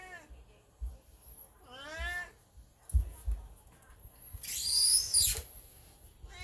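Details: Beni, an elderly black house cat in heat, utters two short harmonic meows in the first two seconds, followed by a loud burst of broadband rustling noise.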